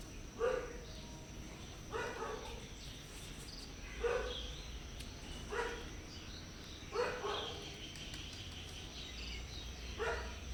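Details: Soft meows from hungry stray cats asking for food and a safe place at a house, seven short harmonic calls repeating roughly every one and a half to two seconds, over quiet outdoor hum.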